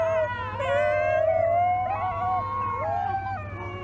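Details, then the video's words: Wolf pups howling: several overlapping long, smooth tonal howls with rich harmonics, some gliding upward and others sliding down, joined in a wavering chorus, over a steady low hum. "Baby Wolf Pups Howling"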